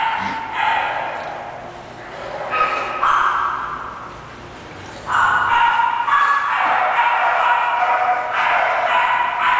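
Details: English bulldog puppy from a breeder, giving a run of rapid, harsh barks and yips in irregular bursts, some long and drawn out, alongside indistinct human speech.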